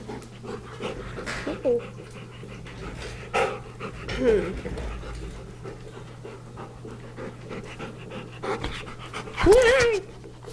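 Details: Pet dog panting in rapid rhythmic breaths during a paw-shaking session indoors, with a steady low hum, soft rustles, and a person's voice rising near the end.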